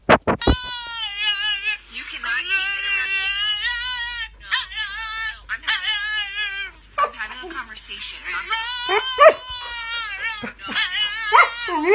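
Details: Keeshond howling while watching another dog act out, long wavering tonal yodel-like howls, rising and falling, repeated in several drawn-out bouts, with a person talking between.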